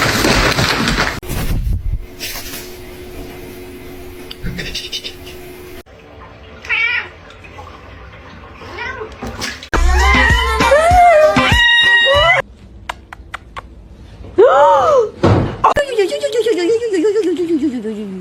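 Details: Domestic cat meowing among funny home moments: several drawn-out, arching meows with rich harmonics in the middle and near the end, mixed with people talking, laughing and screaming, plus brief music.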